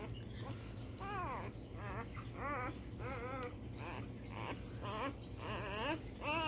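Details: Basset Hound Rafiki of Emerald Trail basset hounds, indoors, giving a series of about nine wavering, rising-and-falling whining cries, each under a second, over a steady low mechanical hum.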